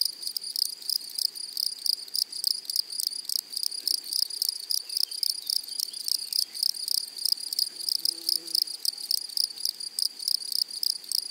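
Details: Meadow grasshoppers calling in flowery prairie, a continuous high, raspy pulsing chorus with closely spaced buzzy bursts and no pause, a brief soft lower sound near the end.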